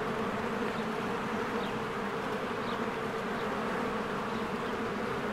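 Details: Honeybees in spring flying in and out of their hive among blooming flowers: a dense, steady droning hum with bands around a few hundred notes low and mid, continuous without pause, faint thin chirps of a bird high above.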